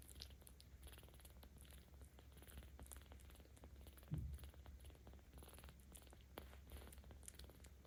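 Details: Petted 17-day-old kitten in Tama City, Tokyo, October 2022, giving a low continuous purr that grows louder with stroking; steady rumble with one short louder thump midway and faint rubbing sounds.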